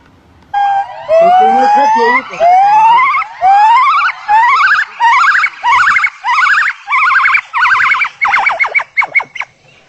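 A monkey gives a loud series of rising, siren-like whoops that speed up and climb in pitch.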